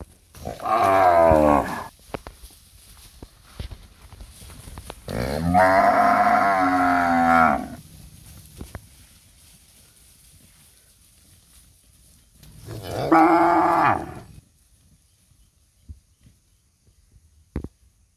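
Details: Nursing cows in a palm oil plantation give three drawn-out moos a few seconds apart, the middle one longest, each rich in stacked harmonics with a slight falling pitch; faint clicks between calls.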